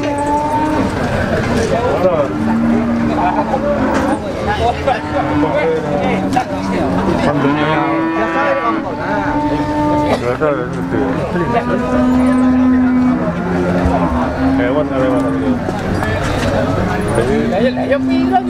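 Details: Many cattle at a market in Ponorogo before Eid al-Adha, August 2018, low sustained moos repeating and overlapping from several animals, with crowd voices and traffic throughout.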